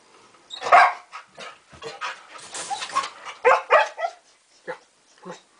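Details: A pet dog named Kane, acting like a little kid refusing to go to bed, gives a string of short grumbling barks and yips, loudest near the start and in a pair mid-way, trailing into softer huffs.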